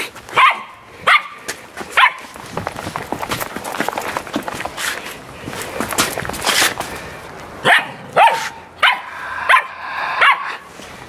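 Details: Samoyed at playtime giving short, sharp barks in a quick cluster at the start and again near the end, with a stretch of broadband rustling and scuffling noise between them.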